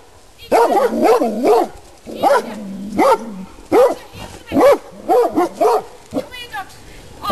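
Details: Several Rhodesian Ridgebacks, not under control in a private garden, bark in rising-and-falling pairs and triplets with short gaps between, plus a low droning sound early on and a brief high rattle near the end.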